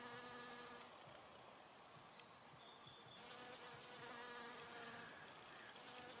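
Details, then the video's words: Nectar-collecting honey bee humming near flowers, a low steady drone fading in and out as it moves, strongest at the start and in the second half, with a faint high tone briefly in between. "Honey Bee Humming Sound"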